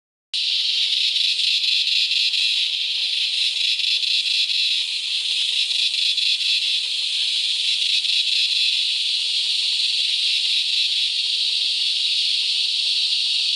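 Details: Razor Grinder Cicada (Henicopsaltria eydouxii) gives a loud, continuous, high grinding buzz that barely wavers, recorded on a forest trail at Valery, NSW, Australia.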